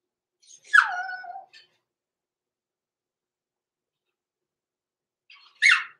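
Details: Indoor overnight puppy pen holding six-week-old blenheim Cavalier King Charles Spaniels, litter born November 14, 2022; a drawn-out whimper sliding downward from high to low, quiet for several seconds, then a short high squeal.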